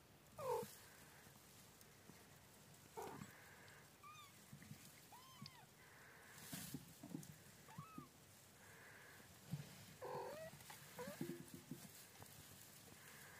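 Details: Mother cat caring for her kittens; several short, high, arched mews repeated at intervals, with low rumbling background noise and occasional knocks.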